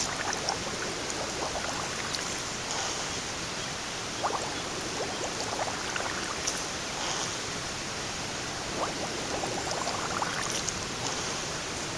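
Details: Steady rushing of surf or running water fills the whole recording, with no animal voice standing out.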